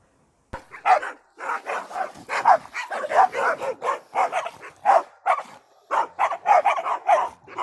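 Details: A dog barking, the sound named نباح in Arabic: sharp, clipped barks in quick, uneven bursts, about a dozen in seven seconds. Short gaps separate them, with no other sounds around.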